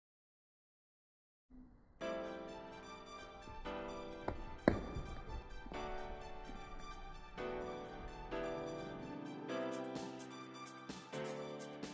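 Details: Silence gives way to piano-led music with repeated chords and a brief sharp accent, filling the whole span with no audible animal sound.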